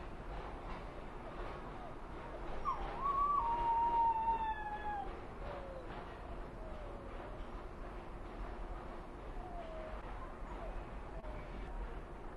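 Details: Mexican wolves from a conservation project, played back as a scene of the wolves behaving like wolves: a clear tonal howl near one pitch glides gently downward for about two seconds, followed by fainter falling glides over steady background noise.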